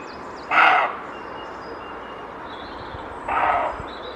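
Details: Male roe deer in the wild barking to warn that he wants no one entering his territory, alerted by a slight noise behind him: two hoarse barks about three seconds apart, with faint bird calls in the background.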